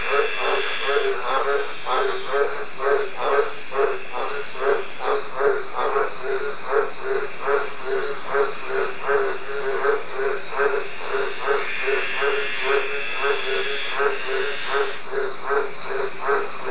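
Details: A male Australian green tree frog (Litoria caerulea) calls with a steady run of deep, husky croaks, about two each second, while smaller frogs call in the background.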